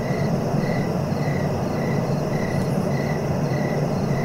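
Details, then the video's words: Steady cricket chirping, short pulses repeating about every half second, partly masked by a loud droning rumble underneath. "Relaxing cricket sounds for sleeping"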